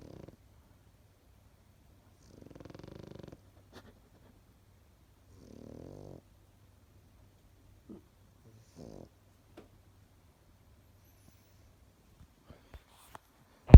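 A Pekingese dog snores softly, with low rasping breaths spaced a few seconds apart.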